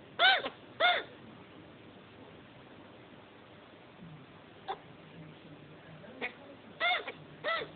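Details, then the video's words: Just-mated male chinchilla kept as a pet, hiccuping: paired bright chirps, each pair spaced about 0.6 seconds, with a soft click between pairs. A quiet indoor setting surrounds the calls. "chinchilla after sex hiccups"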